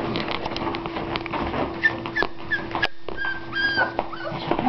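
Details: Puppies whimpering and whining as they try to climb up, giving short thin high whines and squeaks scattered through steady background hum, with people talking quietly and a brief silent gap midway.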